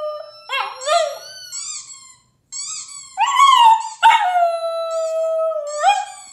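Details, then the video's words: Howling dog giving high squeaky yips and short notes, then a break, then loud sustained howls gliding down and holding a level pitch for over a second each. "Dog Howling to make your Dog Howl!"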